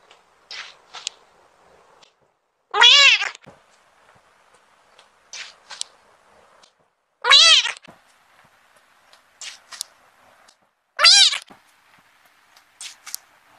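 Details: A cat meowing at the camera gives three loud, arched meows roughly every four seconds, each surrounded by quieter brief squeaks and chirps in an otherwise silent setting.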